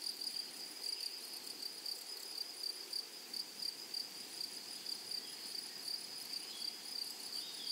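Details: Grasshoppers calling across a flowery meadow, a thin, high, pulsing buzz that keeps going nonstop at moderate loudness, with a few faint short chirps from other insects over a soft hiss of open-air background.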